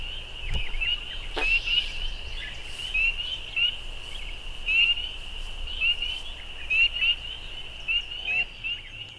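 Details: A loud chorus of many spring peepers: overlapping high, short, rising peeps merge into a continuous shrill band, with individual upslurred notes repeating through the whole stretch.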